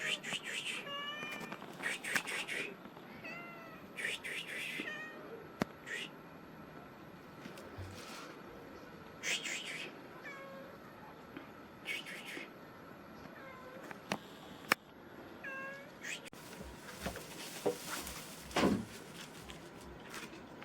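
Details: A black cat in Himachal Pradesh, India, meows repeatedly in short, curving cries, clustered early and then more spaced out, over a constant background hum with occasional clicks and knocks.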